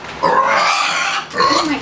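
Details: A noisy piglet, upset while someone sweeps the floor with a broom, lets out two bursts of harsh, broadband squealing: the first lasts about a second, the second is shorter and rises again at the end.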